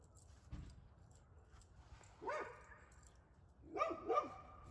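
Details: Dogs barking by a campfire during a dog fight, with Samson the Boxer and little Bella among the dogs present; a single bark, then a pause, then two quick harmonic barks in succession over low background rumble.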